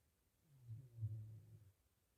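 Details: A healthy pig sleeping in a pigsty after a meal gives one deep, rumbling snore that swells and fades over about a second, with quiet around it.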